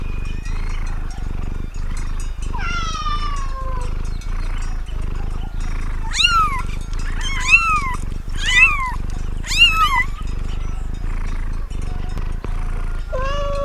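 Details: Cat on a farm giving a run of short, bright meows that bend upward and then drop, several in quick succession midway, over a constant low rumbling background.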